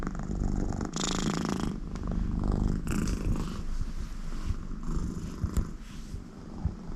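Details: Content American Shorthair cat named Connie purring loudly while her owner sits beside her; a steady low rumbling purr fills the clip with brief breathy bursts at about one and three seconds.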